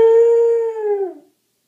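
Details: Pet dog howling along with the howling at the end of a favourite TV show; a clear, steady, pure-toned howl lasting just over a second, holding one pitch then sliding down as it fades, indoors.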